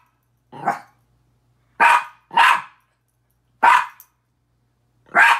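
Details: Miniature Pinscher Petey barking at his reflection in a mirror: a softer opening bark, then a quick double bark, a single bark and a final one, all short, sharp and high, with no background noise.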